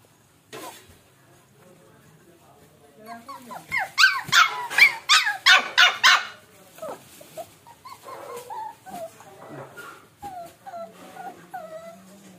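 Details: Samoyed puppy while eating: soft whines first, then a rapid burst of about nine high yapping barks in two seconds, trailing off into thin whimpering squeals and a low hum.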